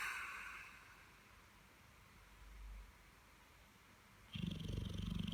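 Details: Holly, a pet Dogue de Bordeaux, sleeps after a busy bank holiday weekend and morning. She gives a low, soft rumbling snore midway, then a louder, rasping, pulsing snore toward the end, over a quiet background hiss.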